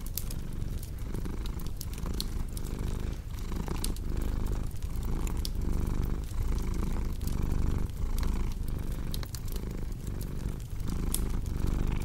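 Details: A purring cat, low throbbing drone rising and falling with each inhale and exhale, accompanied by scattered bright crackles and snaps from a cozy fireplace.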